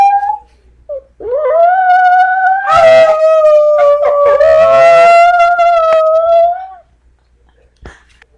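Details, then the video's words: Brindle Chihuahua Monty tries to repeat "I love you" with one sustained howl of about five and a half seconds. The tone holds mostly level, breaking into brief warbled catches midway, then fades out. "Brindle Chihuahua says I LOVE YOU"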